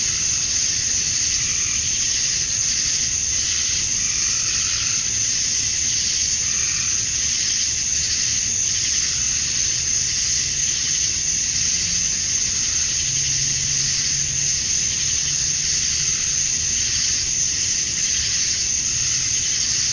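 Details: Male cicadas at summer dusk in Georgia, USA, chirping to attract females, merge into a steady piercing high hiss. Faint lower hums drift beneath the unbroken insect drone.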